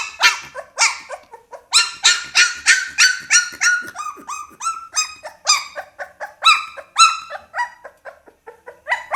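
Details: Pit Bull puppy crying in quick bursts of sharp, harmonic yips, about three each second. Some notes are louder and harsher, and some softer whines fall in between.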